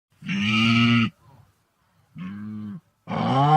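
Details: Wildebeest, an African antelope, in a natural recording: three deep, nasal, moo-like calls, each under a second long, separated by short silences, the last one rising in pitch and cut off at the end.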